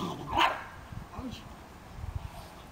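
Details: Dogs racing around and playing at an animal shelter; one sharp, loud bark bursts out near the start, followed by soft thudding paws and low rustling noise.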